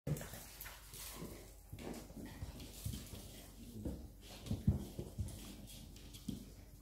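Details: Two Siberian Husky pups fight over the same toy, giving low rumbling growls broken by sharper, louder bursts and scuffling.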